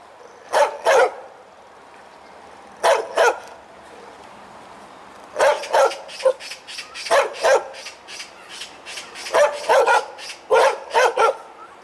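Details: Barking dog, tail wagging, starting with spaced pairs of loud barks, then a rapid run of repeated barks with softer echoing yips between them.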